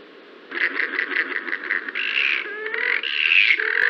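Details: Wild yellow-bellied glider calls recorded by forest ecology staff in New South Wales, Australia: a series of rapid pulsed shrieks, then a longer harsh rasping screech, a brief gurgling phrase and a final loud rising shriek.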